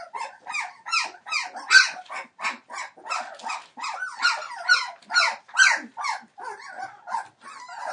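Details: Young Entlebucher Mountain Dog litter at three weeks old, born 28 December 2013. Rhythmic, shrill yelping squeals sound roughly twice a second, each swooping in pitch, ending in warbling, quavering whimpers.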